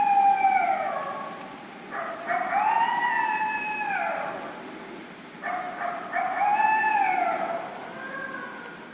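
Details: Flat howls of an Eastern coyote, bigger than a normal coyote through wolf ancestry, close in front of the recordist: a steady held note, then two wavering, rising-and-falling howls with breaks between, over faint background hiss.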